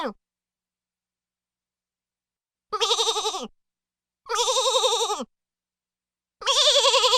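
A goat gives three loud, quavering bleats, each about a second long, with short pauses between.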